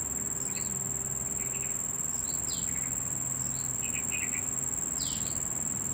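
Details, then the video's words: A male Nisitrus vittatus cricket gives a steady, very high-pitched ringing trill without a break. It makes the sound by stridulation, rubbing its raised leathery front wings together, to attract females. "How does Cricket (Nisitrus vittatus) Make Sound ?"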